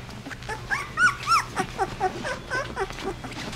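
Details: Sixteen-day-old Basset Hound puppies in a litter, giving high squeaky whimpers and short yelps that arch up and down, several per second with brief pauses, over soft rustling and a steady low hum.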